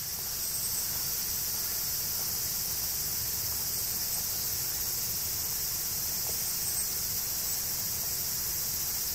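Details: Continuous shrill cicada drone fills the forest along the Tokai Shizen Hodo in Japan, below the Yoro Mountains on the route north to Sekigahara; an even, high-pitched wash without pauses.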